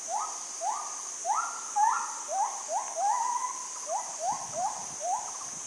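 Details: Wild monkeys exchanging calls, heard but not seen, in mountain woodland south of Ban Mai Huai Hia, Chom Thong, Chiang Mai, Thailand. Dense run of brief upward-sliding cries from several callers, some overlapping, against a continuous shrill insect hum.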